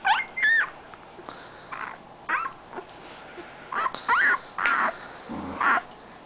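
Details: A Siberian Husky puppy from a 2010 litter gives short, high whines and yips in irregular bursts.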